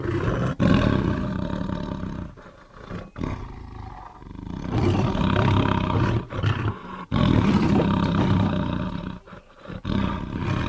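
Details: Tiger producing heavy, rasping roars and growls, low and sustained, in several long rumbling phrases with a quieter dip in the middle.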